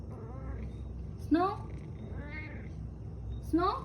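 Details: Talkative male cat making all sorts of funny noises as if telling stories, short chirping rising meows, a sharp one near 1.3 seconds, a softer trill, and another rising meow at the end, over low indoor hum.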